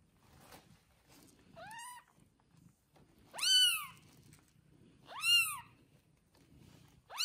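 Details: Domestic cat with her newborn kittens, one day after birth, in a soft bed arranged indoors; high, thin mews arching up then down, four calls spaced about one and a half seconds apart over a quiet, faintly rustling background.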